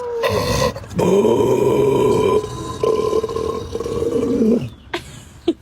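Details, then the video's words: Dogs making strange noises: a loud, sustained, wavering moan-like vocalization in several long stretches, bending up and down in pitch, with brief breaks between them and a short yelp near the end. "Dogs making strange noises"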